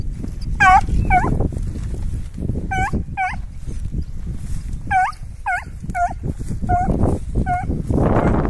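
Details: Training run of two Petit Basset Griffon Vendéen dogs, Vilma and Chica, on the trail of rabbits; sharp, tonal yelping barks, often in pairs, repeat through the chase amid brushing, trampling noise of movement through cover.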